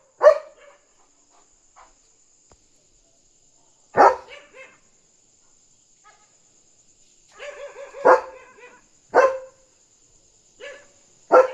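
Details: Excited German Shepherd on night guard, barking at a dog outside to protect its territory. Single barks come every few seconds, some drawn into harmonic yelps, with quiet gaps between and a persistent high-pitched hum.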